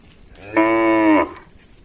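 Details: Tame village cattle wandering fields and drinking at a village lake, one clear, strong moo of about two-thirds of a second, even and rich in harmonics, over a faint hiss.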